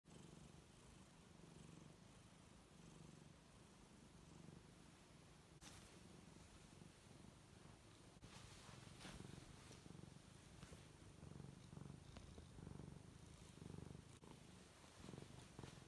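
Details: Luna, a female tuxedo cat, purrs while lazily stretching and rolling on her back; a steady low rumbling purr runs throughout, broken by a few sharp rustling clicks from her movement.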